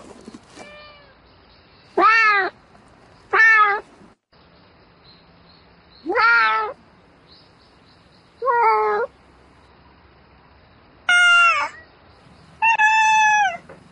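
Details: A house cat meowing at night to call a mate: six loud, rich-harmonic meows, some rising then falling, spaced a second or two apart with quiet gaps between.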